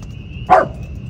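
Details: Dog yapping on a farm shortly after 1 am on a windy spring night, loud enough to drown out spring peepers: one sharp, broad, very short yap about halfway through, over a steady high whine and low rumbling background.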